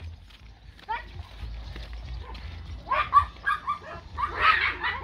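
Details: Blue Great Dane puppies from a litter born 15 April 2021 at Kennel Hradecká hvězda, two females and a male, give short high-pitched yips and barks in bursts toward the end, while a person speaks Czech, urging them along.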